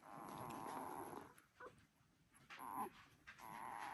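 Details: Border Collie puppies one week old, a litter; thin wavering whines around mid pitch come in stretches of about a second, separated by quiet snuffling, with a faint steady high hiss behind.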